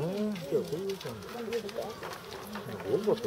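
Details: Crying North American porcupine in a Saitama zoo, Japan, filmed March 2017, gives a run of quick, looping whines that rise and fall repeatedly, with a louder burst near the close, over low background hum.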